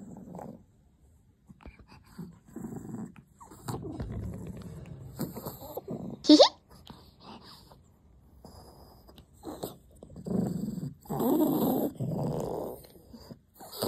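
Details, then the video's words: Possessive pet puppy Shasha defending her dog chew indoors, giving intermittent low growls in short bursts separated by quiet gaps, with one sudden louder snap midway and soft background noise. "개껌 지키는 강아지"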